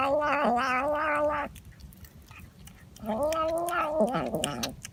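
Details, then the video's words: Domestic cat making a strange sound: two long, loud, wavering yowls, each about one and a half seconds, separated by a quiet pause with faint clicks and rustling. "Cat's strange sound"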